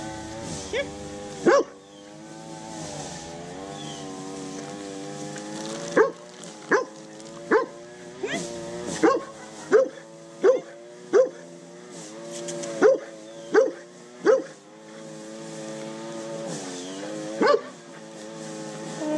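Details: Pablo Pinto, a rescued, undersocialized Rottweiler Catahoula Leopard Dog mix from the Redlands area of South Florida who is scared of people, gives short sharp barks in irregular bursts over a steady droning hum.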